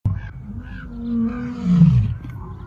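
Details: Lion (Panthera leo), roar.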